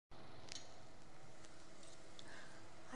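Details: Low indoor room hum with a few soft sharp clicks and ticks scattered across the recording, and no animal voice.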